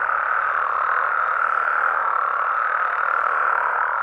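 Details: Many frogs and toads croaking together after dark in Mexican amphibian habitat, forming a steady, even wall of sound with no pauses or standout single voice.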